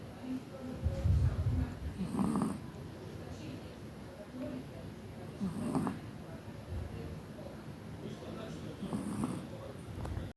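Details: Chihuahua Kira, bred at Crimea's Kastropulo kennel and living in Tver, snoring while asleep: three breathy, rattling snores spaced about three and a half seconds apart, with a low rumble near the start.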